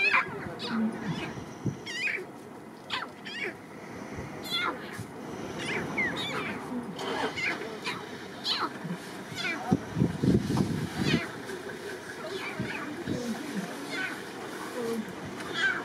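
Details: Lion (Panthera leo) cubs keep up a busy stream of short mewing, grunting calls, chatting with their mother.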